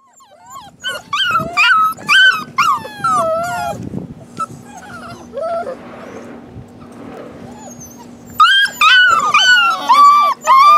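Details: Rescue puppies, a possible shar pei, hound and lab mix, posted in December 2016, whine in a chorus of high, sliding, down-curving whimpers. Several pups overlap, then a quieter gap follows before a fresh burst of yelping whines.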